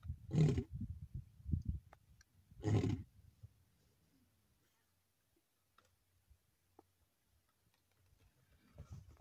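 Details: Wild male lion chasing another male lion in the Maasai Mara, recorded on 7 July 2024. Two deep, breathy roaring grunts about two seconds apart, then near silence with faint low rumbling and clicks.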